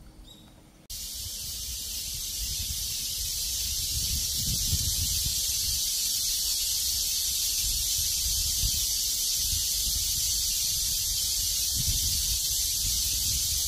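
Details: Cicadas in a cool breeze, heard as a loud, steady, high hissing buzz. It starts suddenly after a quiet first second and holds unbroken to the end, with soft low wind rumble underneath.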